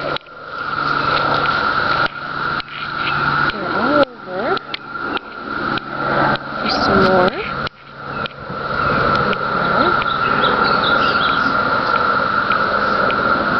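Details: A dense chorus of 17-year periodical cicadas in trees behind a workplace on Cape Cod holds one unbroken, mid-pitched buzzing drone; human voices cut in over the first half, then the hum continues alone.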